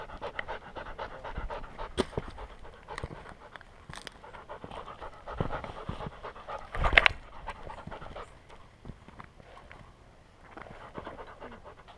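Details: Welsh Springer Spaniel puppy named Skyline, collar-mounted GoPro, on a hike around Enchanted Rock near Fredericksburg, Texas: soft, fast breathy panting throughout, with scattered footfalls, clicks and handling noise and one louder knock midway.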